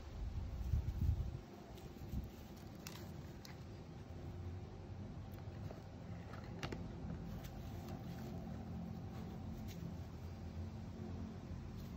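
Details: Quiet indoor hum with soft low rumbles, a few thumps and faint rustling clicks; no animal voice is heard.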